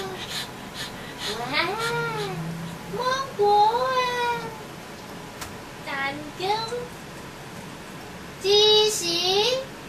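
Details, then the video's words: BB the dog, impatient and calling his mother to dry his fur, gives a run of drawn-out whining yowls that rise and fall with rich overtones. Several come in quick succession, then a louder, longer cry near the end. "BB lost patience and making strange noise"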